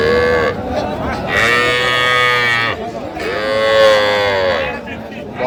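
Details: Small bull and heifer calves for sale at a cattle market near Dhaka, Bangladesh; two long, harmonic-rich moos, each lasting over a second with a brief break between, over a murmur of buyers' voices and faint music.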